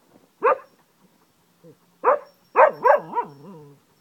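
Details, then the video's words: Cocker Spaniel in Ajloun, Jordan, howling like a wolf: two single sharp barks, then a quick run of yelps sliding into a short, wavering howl that fades out. "cocker spaniel howls like a wolf"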